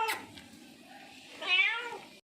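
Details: Hungry, thirsty stray street cat offered milk lets out a single quiet, wavering meow near the end, after a brief sharp sound and soft background hiss.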